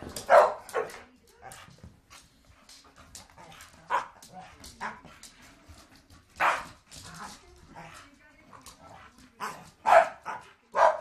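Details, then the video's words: Staffordshire Bull Terriers play fighting at home, their short sharp barks and growly yips bursting out in irregular clusters with quieter gaps, a person's voice faint between them. "staffs fighting"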